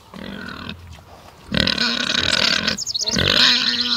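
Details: Pig in a forest setting, giving loud, harsh, drawn-out squeals with a strong buzzy tone, one shorter burst, then a longer strained squeal lasting over a second, followed by rapid choppy squeals running into another sustained cry.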